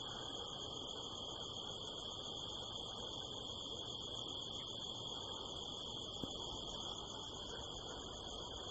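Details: Crickets keep up a steady, high, shimmering trill at night in the California desert hills, rural and dark, about nine o'clock on 25 September 2018 under the full harvest moon, over a low rushing background; the recordist thinks they are crickets.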